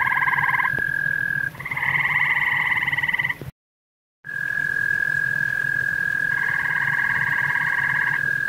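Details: Grey tree frog at a pond shared with common toads: pulsed, buzzy trills of about a second, paired low and high tones, set against a steady unbroken whistle-like tone and a low background hum.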